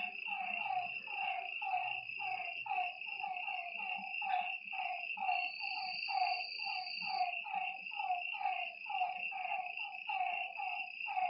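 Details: Frogs at a lakeside at night produce a busy stream of short, slightly descending croaks, several overlapping callers, backed by a continuous high-pitched insect trill.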